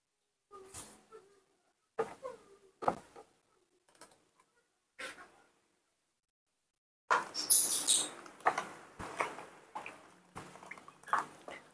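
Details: Newborn baby monkey, born this morning and hand-reared, screaming for milk before a feeding. Short squeaky cries come in separate bursts about once a second, then crowd into a denser, harsher run of cries mixed with rustling.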